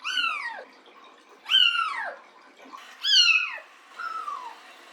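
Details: Pet cat during a bath, giving four clear meows, each a descending whine with rich harmonics, about one every second and a half, the last one softer.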